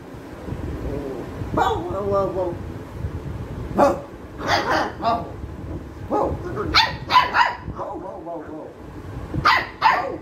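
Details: Labrador retriever puppy, described as angry, barking while playing with an adult Labrador: scattered short barks and yips, some with tonal whining harmonics, irregularly spaced over ten seconds with voices nearby.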